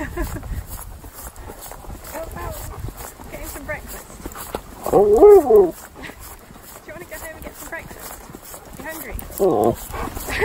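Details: Siberian Husky during a morning wake-up, giving an arching, wavering howl-like call near the middle, with brief squeaky vocal bits later and a short second call near the end, amid a man speaking and rustling sounds.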